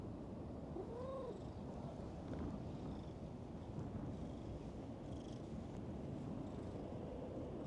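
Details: Stray cat found asleep at the bottom of a dried-up pond, which then came over and rubbed against the person; a single short arched meow early on, rising then falling, over steady low rumbling noise throughout.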